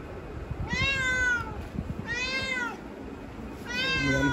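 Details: Pet cat wanting to be let outside after hearing another cat behind the door; three loud, drawn-out harmonic meows spaced about a second apart, each rising then falling, with faint background hum.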